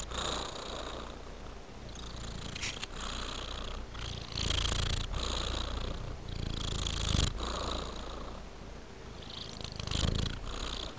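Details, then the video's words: Male cat with fluffy white mittens purring during a stretch, a loud low rumble pulsing with its breathing, broken by several brief rustling bursts from its movement. "Purring Cat Stretches His Fluffy White Mittens"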